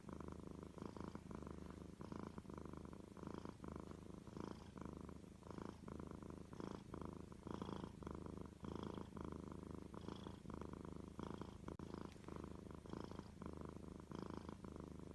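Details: Domestic cat giving a long, even purr, its low vibrating rumble pulsing with each breath about twice a second, sustained without interruption.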